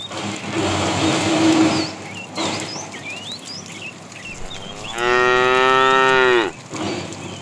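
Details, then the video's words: Afternoon herding of tame cows, a fat one calling to the female; a long, level harmonic moo of about a second and a half late in the clip, softer lowing earlier, with many chirping birds in the background. "The funny sound of a fat cow calling the female"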